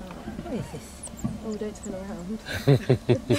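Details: Marmosets exploring a renovated enclosure with a new clear box: a run of high, wavering chirps and short trills, then four loud evenly spaced calls near the end, with a person speaking and faint music behind.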